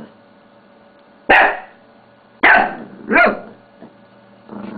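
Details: Shih Tzu pet dog at play with a mouse pad, giving three barks in quick succession after a pause, the last rising and falling, then a faint low growl at the end.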